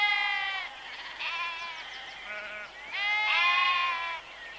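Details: Sheep bleating: a short nasal bleat, then a wavering, quavering one, then a loud, drawn-out bleat near the end, each rich in harmonics, with quiet pauses between.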